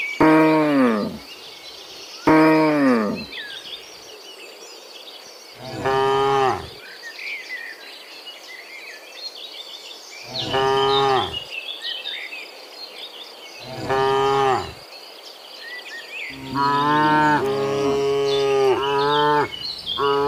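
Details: Several of dozens of cows moo in turn in the morning while returning from the field to the pen, deep harmonic lows rising and falling, with birds and insects faint behind.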